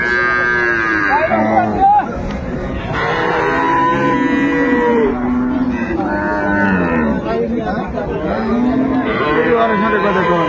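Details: Improved-breed dairy cows and calves at Ambari haat cattle market, Dinajpur, 10 February 2025: several long, harmonic lowing moos, some sliding downward, over a constant background of market voices and bustle.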